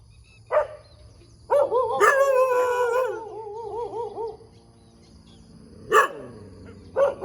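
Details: Morning dog in the middle of a road, giving a single bark, then a long wavering, warbling howl-like whine that trails off, followed by more isolated sharp barks.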